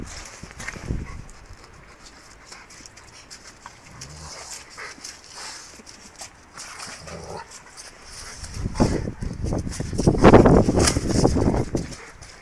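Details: Several Rottweilers playing with a tyre: low, rough growling that stays quiet at first, then grows into loud, gruff rumbling bursts over the last few seconds, with scuffing and thumping from the play.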